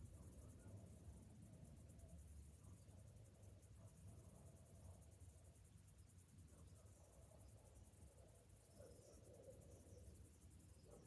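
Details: Morning summer cicadas produce a sustained, high, pulsating drone throughout, with a constant low rumble and some faint mid-pitched background sounds.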